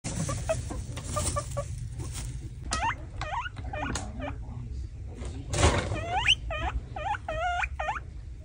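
A guinea pig gives high, squealing wheeks, each rising then dipping, over a low background rumble.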